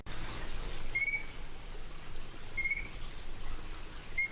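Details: Illinois chorus frog, a species found in Arkansas only in the top northeastern corner, gives three short, high whistled notes spaced nearly two seconds apart over a steady low background hiss.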